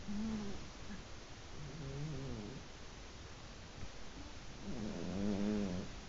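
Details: Sleeping old house cats, one black and white and one brindle, over fifteen years of age, snoring together; three low, rasping, wobbling snore breaths, the last the loudest, then a short sharp knock at the end.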